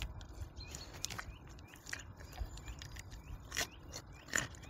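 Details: A wild boar (Sus scrofa) eats a carrot, chewing noisily with wet smacks and crunches and a few soft, low grunts.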